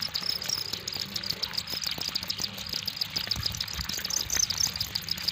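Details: Crickets trilling steadily in a dense, high-pitched chorus, continuous shimmering chirps with faint low rumble beneath.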